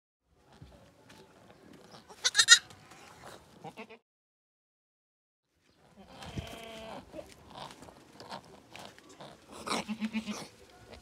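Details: Goat during birth on a farm, bleating in short harmonic cries with a gap of silence midway, a louder bleat near the end, and scattered clicks and rustling around it.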